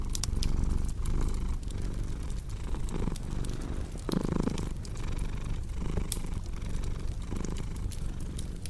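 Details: Low continuous cat purr rumbling underneath busy fireplace crackle, with scattered bright snaps and a few softer crunching pops rising above the steady drone.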